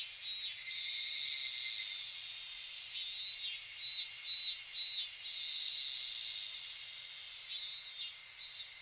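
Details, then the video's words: Summer cicadas at Kitakami, Japan, recorded around Michinoku Folk Village and Kitakami Tenshochi: a loud continuous high hiss with a rhythmic pulsing layer on top, throbbing several times a second and fading slightly near the end. "夏セミの鳴き声 ミンミンゼミから夕方のひぐらしまで"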